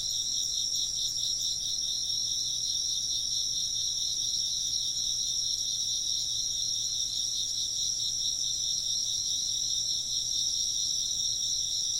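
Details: Continuous insect chorus, bright high chirps merging into a pulsing, ringing trill in two bands that holds steady across the whole recording, no other clear sounds.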